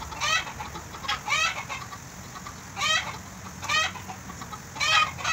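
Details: Affectionate goat being bottle-fed in Bahrain, giving short wavering bleats, high and quavering with a rapid tremble, in pairs or singly about every second, separated by quiet gaps over a steady low hum.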